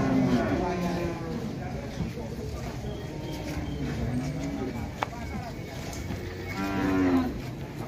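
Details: {'text': 'Jumbo cattle lowing: a short moo at the start, quieter rumbling moos in the middle, then a strong drawn-out moo near the end over steady background chatter, with one sharp click.'}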